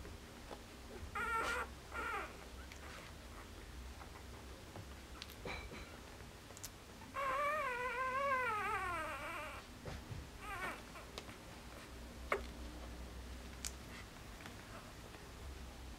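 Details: Border Collie puppies, four days old, from a litter born 29 August 2014 and recorded 2 September 2014: brief squeaks, then a long wavering whine that rises and falls for about two seconds, followed by scattered short squeaks and soft clicks.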